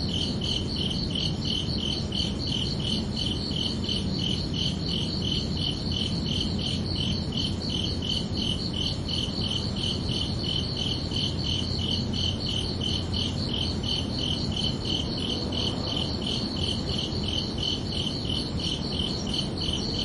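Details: Crickets at night in a summer-evening soundscape, keeping up a long, unbroken run of rapid high chirps with an even beat, over a gentle low rumble.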